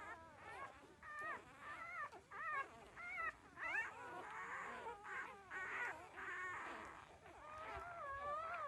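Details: A litter of thirteen-day-old puppies nursing, letting out rising and falling whimpers and longer plaintive whines, overlapping voices at varying pitch with short pauses between.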